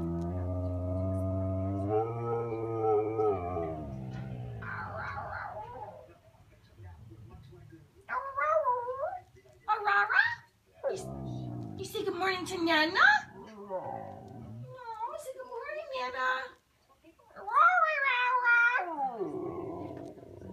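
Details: Female Siberian Husky Khaleesi talking, eager for a walk: an opening level howl followed by short choppy whines and yodels in bursts, separated by quiet gaps, indoors with a human voice possibly mixed in.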